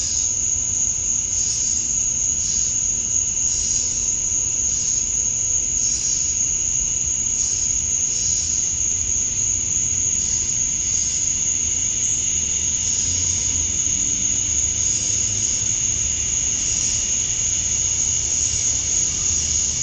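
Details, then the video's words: A summer-dusk insect chorus of male cicadas in Georgia, USA, singing to attract females. A shrill, continuous high whine pulses rhythmically about every second, above a softer, constant background hum. "Cicadas at Dusk, Summer Night"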